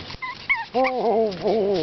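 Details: Seven-week-old Boston Terrier puppies, a brindle litter handled indoors: brief faint squeaks, then a loud sustained whimpering whine that dips and wavers, rising again near the end.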